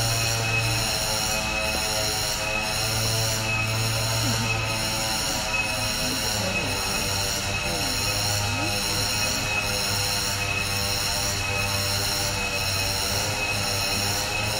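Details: Cicada singing in a 10-hectare protected forest in a tourist-park conservation area where long-tailed macaques live. A steady, shrill, high-pitched drone with stacked tones pulses in regular beats about every second throughout, over a low hum.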